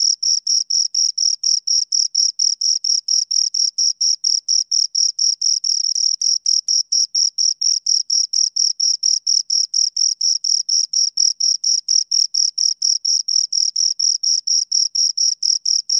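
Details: Pair of crickets producing a long, even run of high-pitched chirps, roughly four pulses each second, evenly spaced and unbroken throughout, against clean silence.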